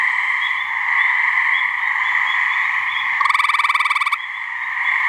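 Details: One gray treefrog of a pair in a New Hampshire swamp gives a single strong pulsed trill lasting about a second, sharply beaded and rattling, set against an unbroken hum of distant calling frogs.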